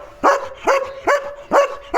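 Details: Domestic German Shepherd barking to warn its owner that another dog has come outside, five sharp, punchy barks roughly every half second, each with a brief tonal ring.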